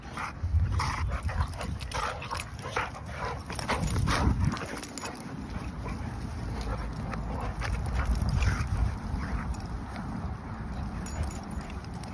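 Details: Staffordshire bull terrier play wrestling in a friendly way: low rumbling growls and grunts come in quick, uneven bursts, several each second, mixed with breathy snorts and scuffling noise.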